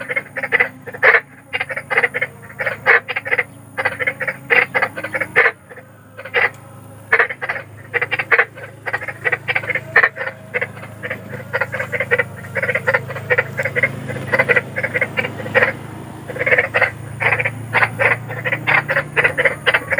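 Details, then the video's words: A big frog's spooky croaking from nature, used to lull children to sleep at night: rapid gravelly croaks in bursts with short silences, a low droning hum rising in the background during the second half. "SUARA KODOK || KODOK BESAR || SUARA KODOK SERAM"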